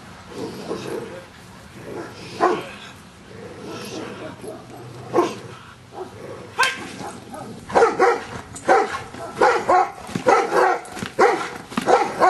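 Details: Luther, a Giant Schnauzer, in Schutzhund work getting used to stick hits; scattered barks early, then a fast run of repeated barks in the second half, mixed with sharp hits and speech.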